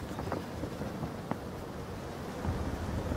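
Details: Gusty wind rumbles against the microphone outdoors, with faint knocks and no clear animal call.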